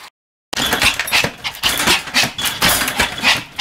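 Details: Pomeranian named Sam, recorded 26 May 2015, barking continuously while jumping and spinning; sharp, noisy, high-pitched yaps come in rapid bursts of about three per second after a brief silence.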